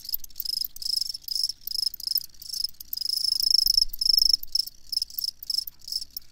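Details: Crickets chirping steadily in a long sleep recording: dense, high-pitched, pulsing chirps that overlap into a near-continuous shrill trill, with brief dips and swells in loudness and no other clear sounds.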